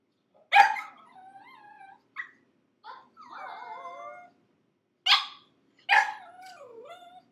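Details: Six-month-old pug puppy shut in a crate for five minutes, screaming: harsh yelps that each trail into a wavering, falling whine, with five outbursts spread over seven seconds.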